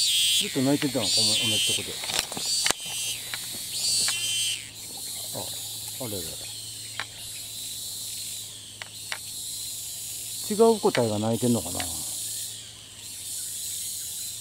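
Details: Thai cicada that keeps singing despite repeatedly flying to new perches, heard as a continuous high, shrill drone running the whole time, partly dipping midway, overlaid by frequent human speech and a few sharp clicks.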